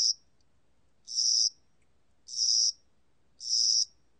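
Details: The Korean National Institute of Biological Resources' 2020 insect and bird sound series presents a spring-summer cricket giving a steady song of high, shrill, buzzy chirps, each under half a second, repeated about once per second against a quiet background.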